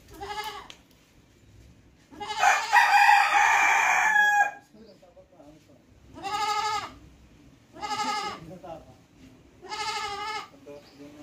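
A goat bleats repeatedly, with one long, harsh, strained cry followed by shorter wavering bleats.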